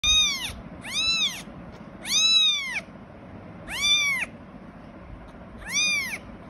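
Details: Persian cat (Felis catus), kitten meows.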